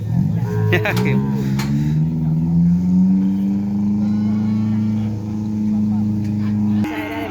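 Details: Cattle at track training, including a young animal on its first run: one long deep moo swells, rises slightly, then holds steady for about six seconds, with brief clicks and background voices.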